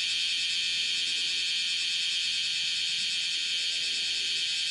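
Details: Cryptotympana facialis, the bear cicada, singing on a window screen indoors-facing, 10:03 on 31 July 2018; an unbroken, very high, hissing shrill with a faint wavering texture throughout.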